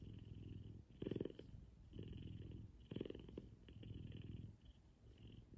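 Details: F2 Savannah cat named Kumba purring loudly while cuddling with its owner in the morning; a low, continuous rumbling purr with louder pulses near one and three seconds, cycling roughly every two seconds with each breath.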